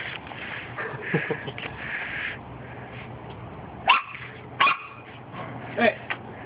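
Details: Corgi puppies, six of them, outside for the first time: a few short, sharp yips and small barks spaced about a second apart in the second half, over steady background noise and earlier indistinct human voices.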